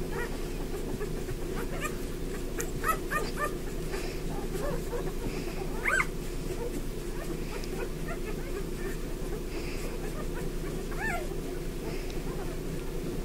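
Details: Bernese Mountain Dog litter of eleven, day 5, lunchtime; tiny newborn puppies give thin rising-and-falling squeaks in loose clusters, with one louder cry midway, over constant low muffled shuffling and suckling-like rumble.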